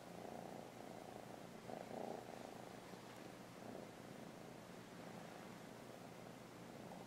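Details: Kitten named JEJE, being taught to give a paw, keeps up a continuous low purr with regular rhythmic pulses that swell briefly near the two-second mark; otherwise quiet surroundings.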